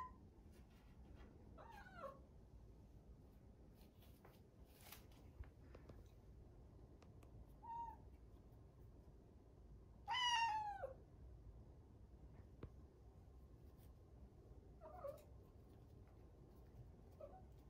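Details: Indoors, a rescued one-year-old grey-and-white tabby cat named Rucola calls to her owner shut in another room: scattered soft meows, one louder drawn-out descending mew near the middle, with faint clicks and room noise between.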